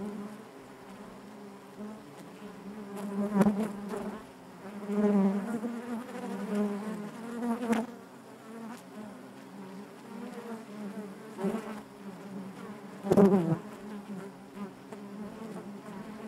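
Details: Steady hum of honey bees within the hive, a thick low buzz with rich harmonics that swells in several louder surges, broken by a few short sharp knocks.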